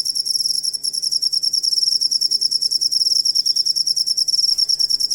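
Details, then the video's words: Shrill, fast pulsed chirping from a cricket, recorded for tutoring songbirds, beats evenly about three per second over a short continuous burst. "Asli Ampuh Suara Jangkrik Buat Masteran Burung Kicau"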